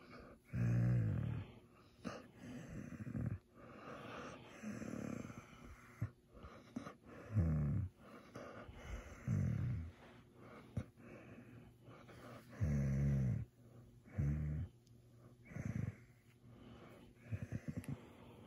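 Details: Maya, a happy German Shepherd pup, groaning with delight while being petted at night: low, throaty moans roughly every one to two seconds, some drawn out, with quiet breathing and soft rustling between them.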